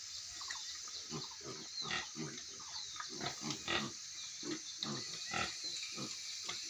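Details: Pigs on a farm in Manipur, giving a steady run of short, low grunts and snorts, several per second at times, over a constant high hiss of background noise.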